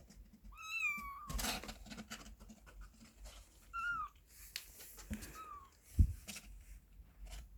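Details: Kitten in a box giving three separate meows, the first long and wavering, between thumps and rustling handling noises indoors.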